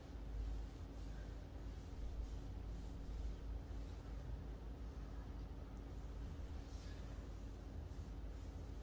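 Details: Faint low rumble with a soft steady hum, like distant traffic, and no animal sound.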